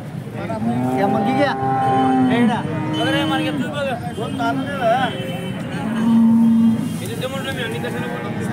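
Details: At the Peth Vadgaon cattle market in Maharashtra, India, Holstein Friesian cows give low, drawn-out moos, one early and a louder one near six seconds, while traders talk and vehicles rumble around them.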